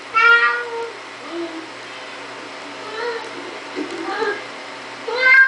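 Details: A Siamese cat, while opening a door, gives loud, drawn-out meows with rich harmonics, separated by quieter murmurs.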